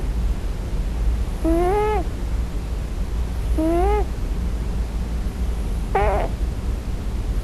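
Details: On its first night, a Scottish Fold kitten cries in its sleep for its mother, giving three brief wavering whines roughly two seconds apart against a soft low hum.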